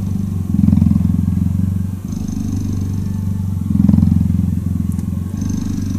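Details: Cuddling cheetah purring continuously, a low, throbbing, motor-like rumble that alternates between louder and softer phases every couple of seconds with each breath.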